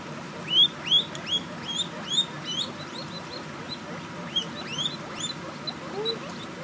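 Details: Guinea pig pups give thin, high whistled squeaks, rising then falling, repeated in quick bursts while seeking their mother, who is eating an apple slice.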